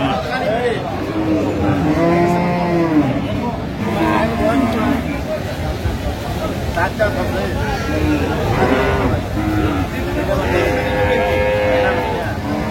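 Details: Improved-breed dairy cows among calves at Aftabganj haat cattle market in Dinajpur, 17 June 2025, lowing repeatedly. Several overlapping moos, some rising and falling, rise above constant crowd babble and traffic.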